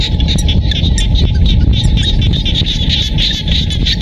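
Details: Countryside rice fields in Siem Reap, Cambodia: frogs produce quick trains of pulsed notes, roughly three per second, blending into a steady chorus above a deep rumbling background.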